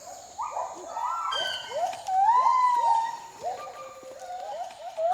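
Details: Gibbon family of three, including a baby, at a rehabilitation centre in Indonesia sings loud, musical, rising and swooping whoops that overlap as nearby gibbons answer. Captive gibbons sing longer than wild ones, which normally sing in the morning.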